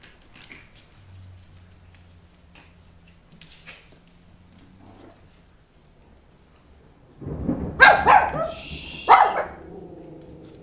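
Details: Puppies Maise and Copper playing with their mother Sarah indoors on a rainy June 23rd; after quiet low rumbling, a burst of loud barks and growly yelps near the end, the last two seconds busiest.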